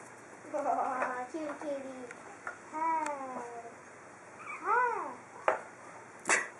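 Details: Pug puppies, four weeks old, exploring outdoors for the first time, produce arched, rising-then-falling whines in short bursts, with soft human voices and a few sharp clicks nearby.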